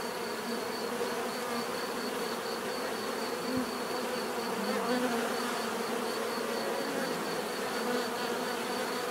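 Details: Bees hum in a constant buzzing chorus, with occasional louder individual buzzes swelling briefly as insects fly close; a regular faint high pulse continues underneath.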